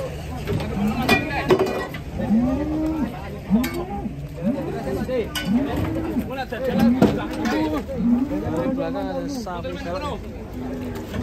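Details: Cattle being unloaded from a truck in Indonesia; a run of short arched moos repeats about once a second, mixed with people talking, clinking metal and background music.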